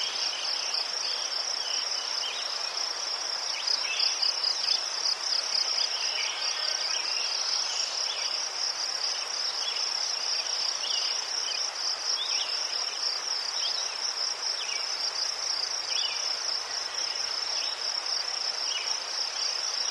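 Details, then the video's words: Crickets in Ukraine among chrysanthemums, a steady high continuous chirping chorus with rapid pulsed trills layered together, fainter scattered chirps underneath, no other clear sounds. "Заспокійливий звук цвіркунів//The soothing sound of crickets"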